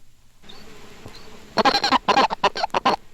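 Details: Colorado River toad (Bufo alvarius), a much larger toad, gives its warning note: a quick series of rough, clucking pulses rather than a chirp.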